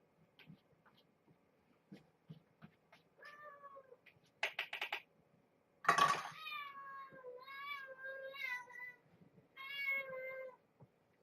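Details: Mother cat with her kittens at bedtime feeding indoors, rubbing against a person's legs; a run of drawn-out harmonic meows with bending pitch, repeated about every second, after rustling and a sharp clatter.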